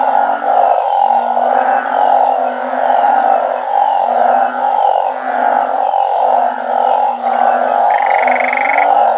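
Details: Banded bullfrogs calling together with balloon frogs in a backyard organic garden at night, raised without catching breeding adults. A dense, droning chorus of low, moaning, pulsed notes overlapping continuously beneath a steady mid-pitched hum.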